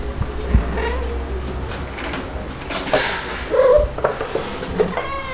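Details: White kitten Stuart at two months old, a cry baby in July 2022, gives short, faint mews amid household thumps and clatter indoors, with a brief clearer mew near the end.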